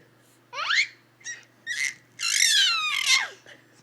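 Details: Bentley, a 3-month-old puppy, finding his new screech and loving it: a series of shrill, high squealing cries, some sweeping downward, the last long and loud, with an owner speaking around it in a small room.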